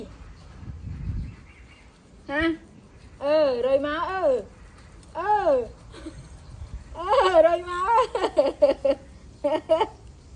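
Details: Baby monkey throwing a tantrum as its mother leaves: bursts of loud tonal wails that bend up and down, separated by short pauses, then a faster run of rapid cries near the end; quiet background.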